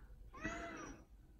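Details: An affectionate meow from the house cat Odeko: one short, rounded, slightly wavering call, with a soft low hum in the background.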